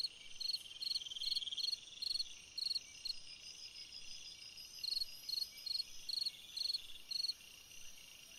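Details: A cricket's summer-night song: quick series of bright pulsed chirps, about two each second, set against a constant shrill insect drone.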